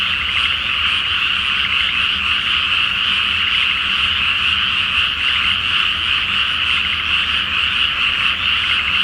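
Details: Chorus of many frogs calling at night from a paddy flooded ahead of rice planting, full moon reflected on the water; steady, unbroken layered croaking in a high band, with no gaps and a soft low rumble underneath.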